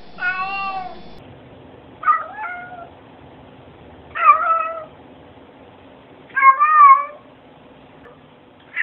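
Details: Domestic cat in a compilation of cats saying hello, giving four short harmonic meows spaced about two seconds apart, some rising then falling, in a quiet indoor room; a person says hello nearby.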